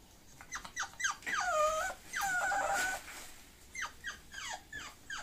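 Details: Mixed-breed Bulloxer dog giving quick falling yelps, then two drawn-out steady-pitched whines lasting nearly a second each, before more short descending yelps; no other sounds intrude.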